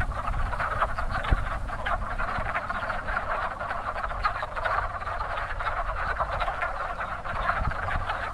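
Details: Wood frogs calling in spring at a very active breeding pond, a dense chorus of short clucking croaks overlapping continuously, with a low rumbling background hum throughout.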